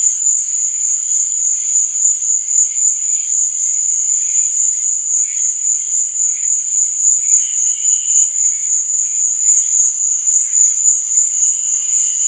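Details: Crickets at night: a steady, high-pitched chirping drone, pulsing rapidly and continuously throughout, with a few softer, lower chirps surfacing briefly in the background; no other sounds stand out.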